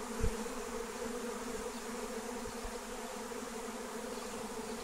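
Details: Flying wild honey bee swarm being caught with lemon balm, giving a continuous, even drone of many wings, a steady mid-low hum with brief low thumps near the start.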